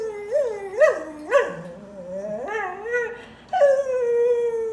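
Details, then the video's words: Dog crying: short rising-and-falling yelps and whimpers in quick succession, then one long, steady, howling whine that slowly sinks in pitch. "Crying Dog"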